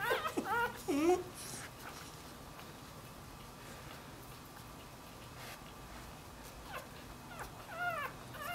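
A Dachshund puppy gives high, wavering whines that rise and fall, calling out as it seeks its mother.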